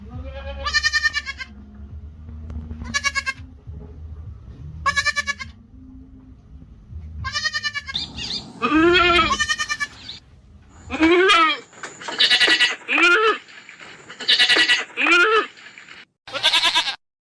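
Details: Goats calling the herd, evenly spaced quavering bleats every two seconds over a low hum, then a busier stretch of louder, wavering and pitch-sliding cries, with a faint high whine at times.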